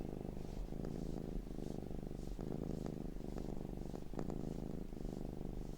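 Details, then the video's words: Short looped stretch of a domestic cat purring, a low throaty rumble broken into breath-length pulses about every second, with faint clicks. "Looped Cat Sounds"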